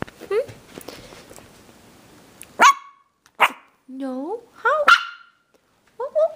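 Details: Havanese puppy Logan, AKC registered male born December 2012, mixes sharp yips with wavering rising whines at irregular intervals, while a person talks to him in a coaxing voice.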